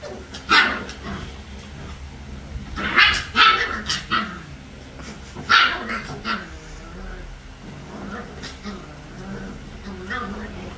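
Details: Three-week-old puppies playing, giving short high yips and squeaky barks in scattered bursts, several close together around the middle, with quieter rustling between them.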